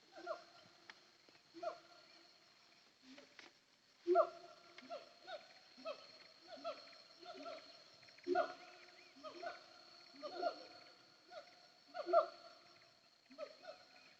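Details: Siamang heard from the hillside of Bukit Kalowan, between Nagari Paru and Nagari Durian Gadang, on a trip to Sumpur Kudus: ringing, harmonic whooping notes spaced about every second or two, falling slightly at each end, over a constant high whine.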